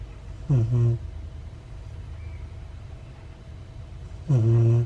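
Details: Ace, a Siberian Husky puppy, asleep and snoring heavily. Two strong, low, rattling snores about four seconds apart, each a quick double rasp, with near-quiet breathing in between.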